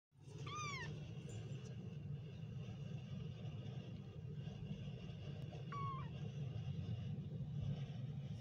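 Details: Kittens meowing: a short, clear meow near the start that rises then falls, and a second flatter meow about five seconds later. A constant low rumble runs underneath throughout.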